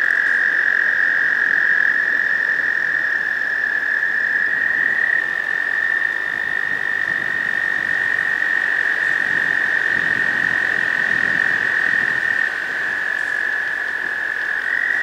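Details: Spring breeding chorus of American toads in a pond, males singing for females: continuous high, steady trills from several males, with faint low rumbling background noise.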